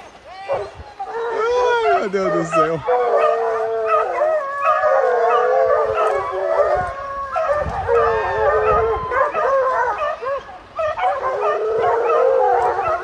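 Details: American Foxhounds in full cry after a deer: a pack of six hounds bays in continuous long, wavering, drawn-out howls that overlap into a dense chorus, with faint human voices beneath.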